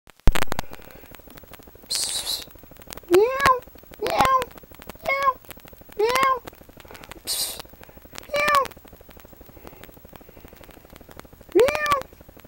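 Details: A pet cat indoors meowing repeatedly as its owner coaxes it, short rising-falling meows roughly every one to two seconds, with a woman's voice, thumps and handling noise in a small room.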